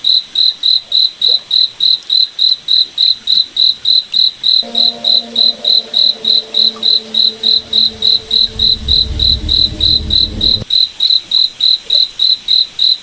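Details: Night forest crickets chirping in a fast, regular pulse of high, clipped notes, about three per second throughout; midway a low droning hum with a deeper rumble runs for several seconds beneath the chirps, then stops.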